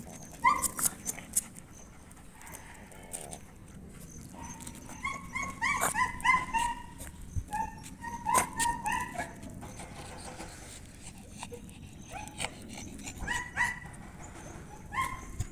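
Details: Aspin, a Filipino native dog, being noisy indoors: high, ringing yelping barks in uneven bursts, densest around the middle, over a steady low household hum.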